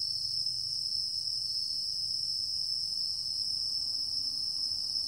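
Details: A chorus of singing insects in mixed woodland behind a university campus in Japan, recorded on September 11, 2023, makes a steady, unbroken, high ringing trill with several layered shrill tones over a faint low rumble.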